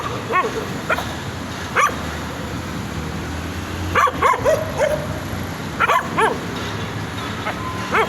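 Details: Puppies give sparse, high yipping barks, single or in quick pairs, separated by quiet gaps of one to two seconds, over low background noise.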